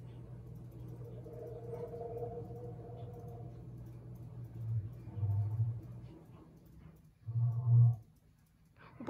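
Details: Tiger (Panthera tigris) gives a deep, rumbling roar, swelling in short low bursts over a steady growl.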